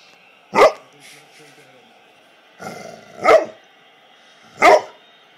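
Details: Barney, a golden retriever, having a blast on a Sunday afternoon, gives three loud, sharp barks spaced one to two seconds apart, with a softer bark-like sound just before the second.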